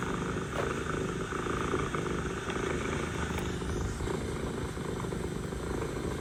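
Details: A mother cat purrs to her kittens: low, vibrating and rhythmically pulsed without pause, accompanied by a steady background rumble and a few faint ticks.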